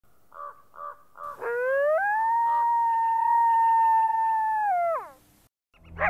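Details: Coyote. Three short, sharp barks from a coyote lead into a single drawn-out howl. The howl slides upward, holds a clear, steady pitch for about three seconds, then falls off, followed by a brief rustle.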